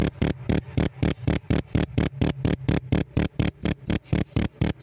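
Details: Shrill chirps from a pet cricket: a regular series of about eighteen sharp, bright pulses, evenly spaced at close to four per second, all equally loud, with faint low hum underneath.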